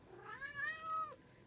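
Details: House cat meowing indoors: one drawn-out, rich harmonic cry that climbs, holds and then drops at the end, with a person's coaxing voice just before and after.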